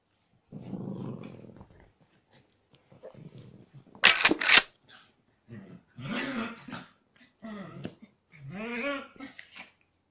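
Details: Chihuahua cross dogs indoors during aggressive play: a low rumbling growl, then a sharp burst of noise and several rising, whining barks and yelps spaced about a second apart.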